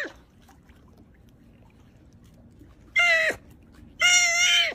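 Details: A sea otter (Enhydra lutris) lets out two piercing, squealing cries about a second apart, the second longer and held at an even pitch. Each is strident, harsh and rich in overtones, with quiet between them.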